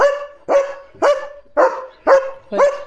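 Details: German Shepherd barking at cattle passing in front of the gate in the morning: six loud, sharp barks spaced about every half second, each with a brief tonal ring, nothing else heard in the gaps.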